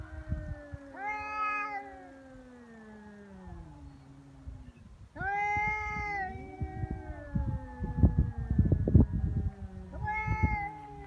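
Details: Feral cats in a real fight on Cat Day, February 22, hissing-free drawn yowls: loud rising wails that sag into long descending moans, two cats overlapping, with scuffling thumps and rustling near the end.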